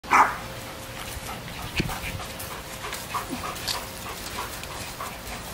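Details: A small dog gives a single sharp, high-pitched bark as a distraction while a male Malinois protection dog does obedience, followed by quiet background noise.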